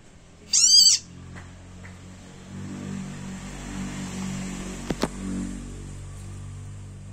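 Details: Small frog crying out loudly while caught by a snake: one sharp, high, wailing scream of about half a second, then low rustling and a couple of faint clicks.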